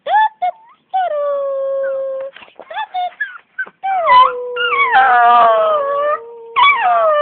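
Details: Pet dog that sings along on cue, giving drawn-out wavering howls and yelps in short bursts, then a long sustained rising and falling howl, with a woman's voice, clapping and music nearby.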